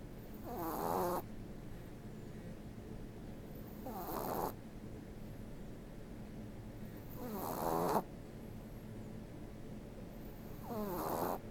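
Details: Sleeping ten-week-old Boston Terrier puppy snoring away: loud, rattling snorts about every three and a half seconds, four in all, with quiet breathing between.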